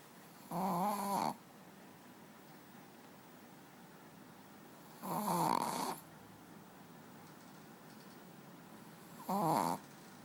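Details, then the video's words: Manja, a pet dog, sleeping on the bed and snoring; three buzzy, rattling breaths spaced roughly four seconds apart, each swelling briefly then stopping, over a soft steady indoor background. "Dog snoring"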